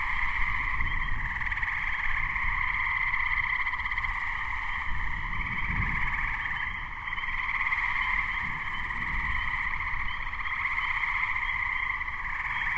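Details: Dense chorus of Gray treefrogs (Hyla versicolor) recorded in May 2010 as a thunderstorm approached; steady pulsed trilling from many frogs, Spring Peepers peeping behind, and surging low rumbles throughout.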